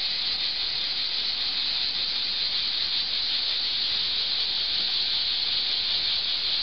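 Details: Cicadas singing in summer beneath an old olive tree in Archangelos, Rhodes, Greece; a dense, unbroken high-pitched hissing buzz that holds steady and constant throughout, with no other clear sounds.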